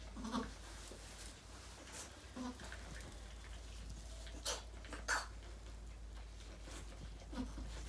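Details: Rescued mother goat Maybel at Goats of Anarchy, giving birth to four kids on her fourth pregnancy, makes short, low, soft bleats at about 0.3, 2.5 and 7.4 seconds over a steady low hum and faint background noise.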